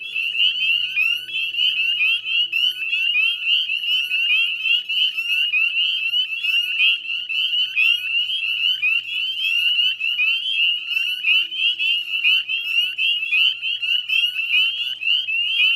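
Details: Spring chorus of many northern spring peepers in the salt marsh at West Chezzetcook, Nova Scotia, recorded at 9:08 p.m. on 18 May 2020; shrill, rising peeps crowd together into an unbroken, pulsing din.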